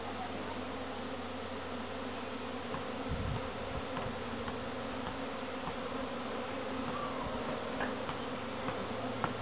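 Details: A large gathering of visiting honey bees, later moved to a better home by a beekeeper. A continuous, droning buzz holds at an even level, broken only by a few faint clicks and a brief low thump.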